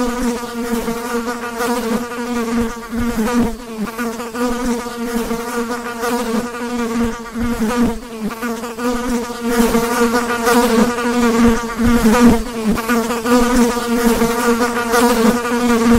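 A fly's steady, droning buzz, holding a low hum with rich overtones.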